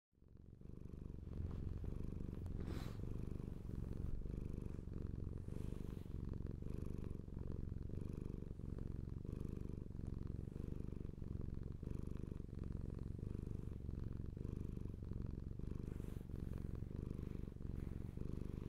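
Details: Lola, a pet cat, purring steadily and continuously: a low, rumbling, fluttering vibration that holds without a break, with the pulses of each breath cycle rising and falling in slow alternation, in a quiet indoor setting.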